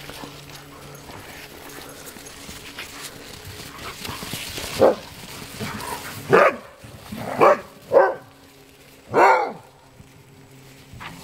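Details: Playing sled dogs in a free-run kennel in Alaska, social pack animals: faint scuffling at first, then five short rough barks roughly one to one and a half seconds apart in the second half.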